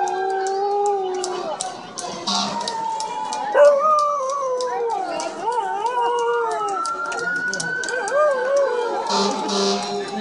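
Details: Dog howling like a wolf on hearing a siren: long wavering tonal howls that rise and fall, layered over the siren's steady wail, with a human voice faint in the background.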